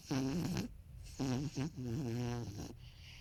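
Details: Marron, a 13-year-old male toy poodle, snoring heavily in his sleep indoors. Loud, buzzy, rattling snores come in three quick pulses with short gaps, each one vibrating and throaty.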